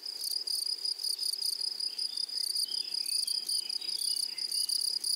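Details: High-pitched grasshopper stridulation from a flowery prairie meadow, bursts of shrill pulsed buzzing repeated roughly two or three times a second, slightly irregular, with faint chirps in the background.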